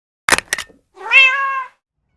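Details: Cat, a former street cat met in a parking lot, now given a cat house: two sharp clicking taps, then one clear, drawn-out, slightly rising then level meow lasting under a second, in a quiet setting.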